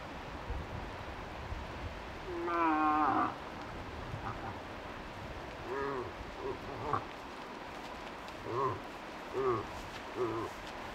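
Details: Cow moose in Tokke, calling near a lured five-point bull, gives a long, loud, wavering bleat with rich harmonics, then several shorter, softer nasal grunts spaced about a second apart over steady background hiss.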